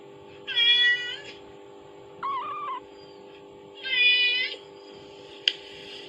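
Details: Mother cat's calling meow played from a phone to kittens; two loud harmonic meows near one and four seconds, a fainter wavering meow between them, and a sharp click near the end over a steady low hum.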